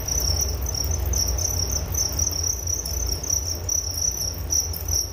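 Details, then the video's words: Crickets giving a continuous high-pitched chirping trill, fast pulses with slight breaks every second or so, plus a low droning hum beneath. "Relaksasi Suara Jangkrik Penghantar tidur || Nature Sound of Crickets"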